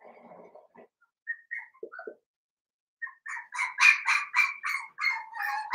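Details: Blenheim Cavalier King Charles Spaniel puppies, seven weeks old, in an indoor puppy pen. A few soft squeaks and whines, then a quick run of about ten shrill, high-pitched yips in close succession.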